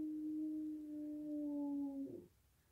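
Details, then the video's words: Eight-year-old American bulldog howling like a coyote, heard howling for the first time: a single smooth, sustained low tone held steady for about two seconds with a faint upper overtone, then breaking off abruptly into quiet indoor stillness. "American bull dog howling like a coyote."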